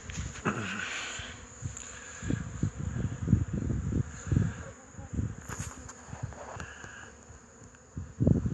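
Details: Hive traffic of Wrzosówka honey bees on 8 March 2015, returning heavy with pollen. Repeated low buzzing bursts from passing bees continue throughout, with a brief brighter sound near the start and a loud close pass at the end.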